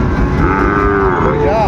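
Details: Sahiwal bull calves at Ambari cattle market, Dinajpur, on 27 February as trading begins; a steady, drawn-out low moo, ending with a short rising-falling wobble, over dense market crowd noise.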